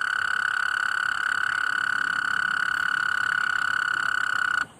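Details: Nighttime call of a common tree frog: one unbroken, even, rasping trill at a steady pitch lasts nearly five seconds before cutting off sharply.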